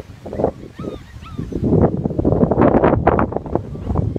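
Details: German Shepherd mother playing with her puppies, running around them and tiring them out; two brief high whining yips rise and fall early on, followed by loud scuffling and rustling from the romp.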